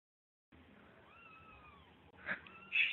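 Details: Mother cat with her baby kittens: a soft, drawn-out meow that curves gently in pitch, followed by two short, louder squeaky cries near the end.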